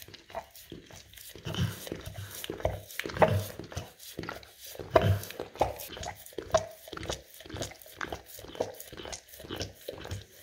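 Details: English cream golden retriever licking peanut butter spread on a rough tile floor indoors: wet, smacking lick strokes in uneven bursts, some louder, about one every second or two, with a quiet room background.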